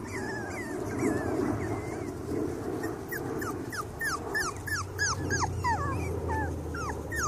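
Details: A litter of five-week-old Cavalier King Charles Spaniel puppies gives a stream of thin, whining yelps and yips that bend upward or downward and overlap several times a second, over a low background rumble.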